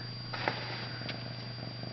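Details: Indoor Ragdoll kitten giving a continuous soft, low purr with rapid fine pulses, over a steady background hum, with a couple of faint clicks and handling noises.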